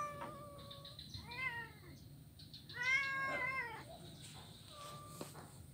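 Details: A blind kitten at play on an ironwood bridge, Jalan Kolonel Sugiono, Kuala Kapuas, Central Kalimantan, on Monday 25 November 2019; softer, somewhat distant meows in two bursts, one long and wavering, over steady low background hum.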